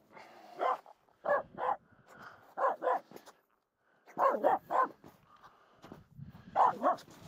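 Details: Finnish Spitz barking nonstop at two reindeer walking close by while crossing a snow pack on a climb up Mulen; sharp barks in quick pairs and clusters, pausing briefly between bursts, with faint human voices.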